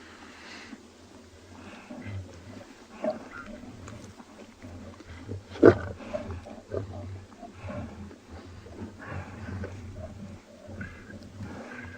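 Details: Two dominant male lions at Tswalu Kalahari Reserve, South Africa, at sunrise on 18 July 2020, growl and rumble deeply in low, rough bursts. They came to buffalo distress calls and hold ears pinned back around a carcass. A man talks quietly.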